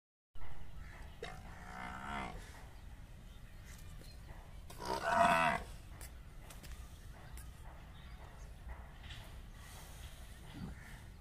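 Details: Murrah buffalo cow and young male during mating, giving two drawn-out, low harmonic moaning calls near the start and middle, the second louder, over steady rumbling background noise.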